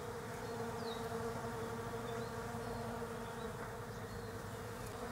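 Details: European honey bees foraging among Desert Ash flowers on a leafless tree in autumn, Australia; a constant layered humming from several bees, with small birds chirping repeatedly in the background.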